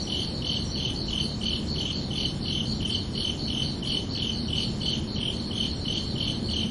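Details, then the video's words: Summer-evening crickets chirp at night in a regular, pulsing rhythm, quick high-pitched trills about three per second, steady in loudness, layered over a soft, constant low-frequency hiss. "Calming Cricket Sounds for Relaxation"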